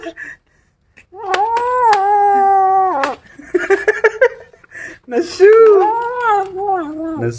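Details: Kittens growling angrily while eating a rat when disturbed: long, drawn-out, moaning tones held steady for about two seconds, then a wavering, rising and falling growl, with a person talking in between.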